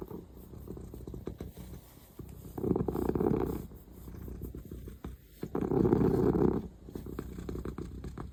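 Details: A cat snoring while asleep with its eyes open: two long breathy snores, each about a second, roughly three seconds apart, low and raspy, with quiet rustling between.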